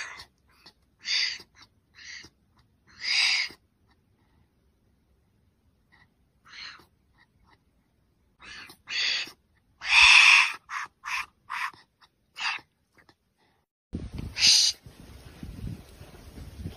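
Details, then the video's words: Wombat giving a series of short, harsh, breathy bursts with most energy high up, irregularly spaced with silent gaps, some doubled, one longer loud burst near the middle, then faint rustling noise at the end. "Wombat Sound"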